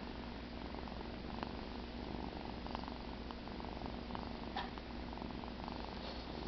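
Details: Sleeping house cat Cheddar, resting after the "kill", purrs with a constant rumbling drone; a few faint clicks and small rustles break in.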